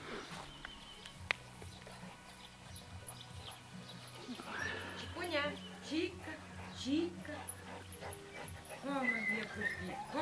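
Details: Dogo Canario puppies from the litter of 09.06.09, sired by Mirko de Atlantida out of Nastya de Cielo de Canarias, giving short high whimpers and squeaky arched yelps mostly in the second half, with soft German speech running throughout.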